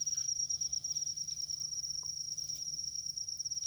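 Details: Field cricket in a rice field, calling with a steady, high, shrill trill that runs unbroken through the whole stretch, faintly pulsing, over a low rural hum.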